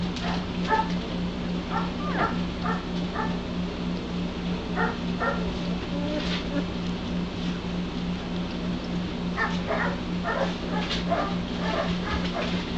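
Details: German Shepherd puppies from one litter, 11 days old, just beginning to open their eyes and ears and move around. Short high squeaks and whimpers come scattered and irregular over a steady low hum.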